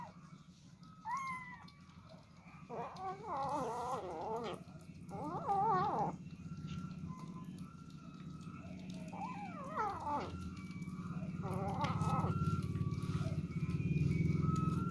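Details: Kittens eating for the first time and fighting over food, a meal of rice mixed with fish; several wavering, rising-and-falling meows around two to four seconds and near ten seconds, over a steady low hum and background noise.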